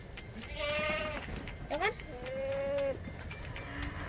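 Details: Qurban goat at a cattle and goat slaughter place in Surabaya, Indonesia, for Eid al-Adha, feeding greedily on grass; two steady, nasal bleats, the second longer and level, with voices and a short sharp noise between them.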